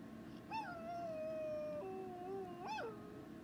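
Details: Pet dog howling in two drawn-out notes, each starting with a short upward swoop and then holding a steady pitch. The second note sits lower, and a fresh rising howl begins near the end.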